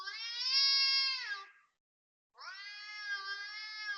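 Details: Loud cat noise before dawn, 5.09 am, 19 February 2026, Toa Payoh, Singapore: two sustained, strained yowls of over a second each, a brief pause between them.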